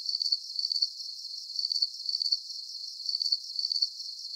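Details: Soothing cricket chorus for sleep: shrill, rapidly pulsed chirps grouped in twos, repeating about every second and a half above a faint steady high shimmer, the rest of the sound range silent.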